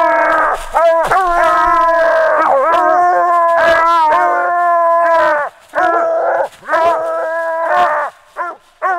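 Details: Six-month-old Phrogger hound pup coming treed on its fourth night out, baying loudly: long drawn howls with strong harmonics, broken by brief gaps and a few short barks toward the end; people talk quietly nearby.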